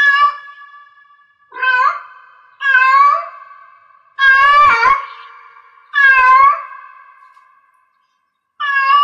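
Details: Six harsh, insistent meows from a female-style calling cat in heat, arriving irregularly every one to two seconds, the loudest in the middle, each fading into a drawn-out ringing tail.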